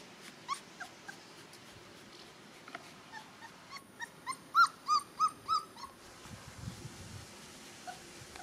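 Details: Gordon Setter puppy Erik, from the E litter, out in the first sunshine, gives a run of thin, high whimpers and yips, each note rising then falling, clustered rapidly near the middle, with quieter scattered squeaks before and shuffling afterward.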